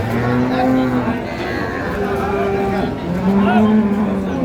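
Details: Cattle at the Ambari haat livestock market in Dinajpur on Friday, 25 April 2025, where cows and calves are sold. Two long, steady, low moos, one early and one near the end, over a constant murmur of market crowd noise.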